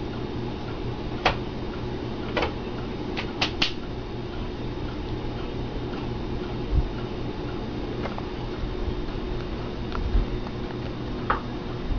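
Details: Constant fan-like indoor hum with scattered soft ticks and taps.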